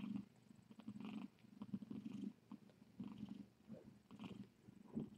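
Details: Rescue cat filmed on a live-streaming Tiny Kittens Society cam at night, purring steadily: a low, throbbing rumble rising and falling in regular breaths, about one cycle per second, with faint soft rustling.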